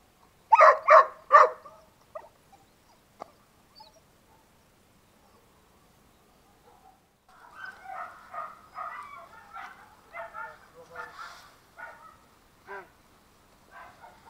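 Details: German Shorthaired Pointer puppy during raising and training, giving three loud sharp yelps in quick succession, then a pause with faint clicks, followed by a longer run of softer, wavering whines and whimpers.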